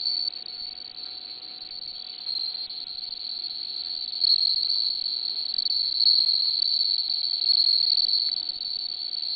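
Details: Bell cricket singing: a continuous high, pure ringing trill held steadily throughout, growing slightly louder midway, with a faint low steady hum beneath.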